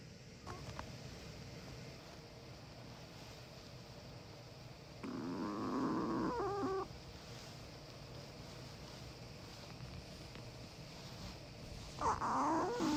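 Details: Pet Chihuahua asleep indoors, from a sibling pair (white male six years old, black female five), snoring twice about seven seconds apart: wheezy, whistling breaths with a gurgling rattle over soft background hiss.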